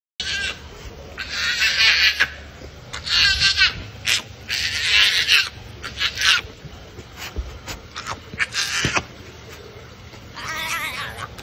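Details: A baby brown hyena in Bali gives harsh, squealing cries in repeated bursts while begging for its bottle at feeding time, 3 March 2021.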